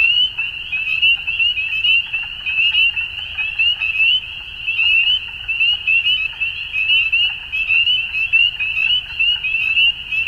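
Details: Frogs calling at dusk: a dense, unbroken chorus of high, rapidly pulsed trills that blend into one steady shimmering band, with fainter rhythmic clicks surging and easing every second or so.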